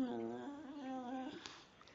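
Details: Precious, a talkative female pet dog, recorded 5/6/2011 while being coaxed to sing: a steady, tonal, howl-like moan with rich harmonics holds for over a second, then slides away into a brief click and quiet.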